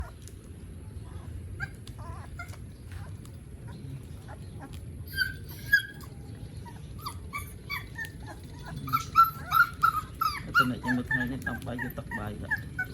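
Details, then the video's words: Puppies drinking milk in the morning in Siem Reap, Cambodia, giving thin high whimpers and squeaks that come in short bursts and grow busier toward the end, over soft low background rumble and lapping. "Adorable Puppies Drinking Milk in the Morning"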